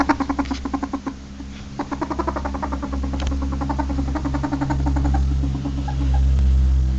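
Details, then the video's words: Ferret making short bursts of fast, rhythmic clucking, about four pulses per second in groups, clear and close, with a steady low electrical hum underneath. "Ferret Sound صوت نمس"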